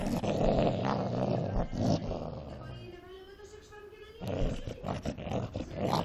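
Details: Cocker Spaniel fighting angrily, giving deep rasping growls and roar-like snarls, broken by a brief pause with a human voice in the middle before the rough growling resumes.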